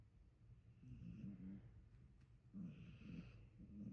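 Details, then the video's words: Two drawn-out, rattling snores from a sleeping dog, each lasting close to a second, with a brief pause between them and a soft hiss of breath on each exhale. "Lisen closely my dog snoring"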